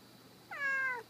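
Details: Domestic cat in an office, climbing a table, giving a single baby-like meow: a clear harmonic cry that holds steady and then slides slightly downward, lasting about half a second.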